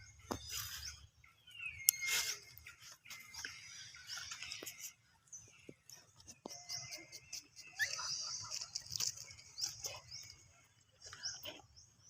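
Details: A baby monkey gives thin, high-pitched screams of fright amid soft clicks and rustling, scared after hearing people coughing, apparently at Angkor.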